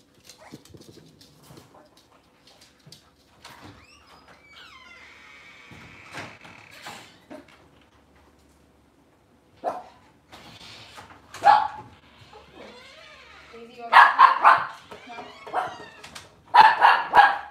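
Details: Cavalier King Charles Spaniel puppies and mothers indoors in a kitchen on a cloudy morning. Scattered soft whimpers and a high wavering whine give way to loud bursts of repeated yapping barks near the end, over a faint constant hum.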